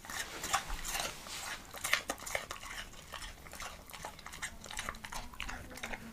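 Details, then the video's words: Leonberger dog crunching an apple in a small room: sharp, irregular crunchy bites and wet chewing clicks, about two or three per second, with a steady rhythm of jaw action throughout. "ASMR LEONBERGER DOG EATING APPLE"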